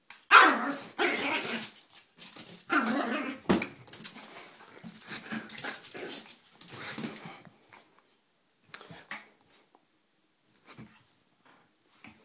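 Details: Tiny four-pound female Yorkshire Terrier showing her feisty side: dense volleys of gruff, scratchy barking and growling for about seven seconds, then scattered faint yips and pauses.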